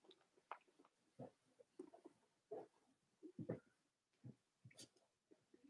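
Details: Cavalier King Charles Spaniel puppies of the mothers Robin and Myra, filmed indoors on a chilly US Monday morning; soft, low grunts, snuffles and squeaks come in scattered short bursts, with a couple of brief higher squeals.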